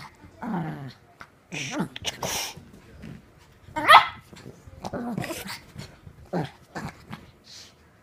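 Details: Playing Petit Brabançon dog giving rough growls and short barks in irregular bursts, one sharp yelp in the middle, with a person's voice calling out between the sounds.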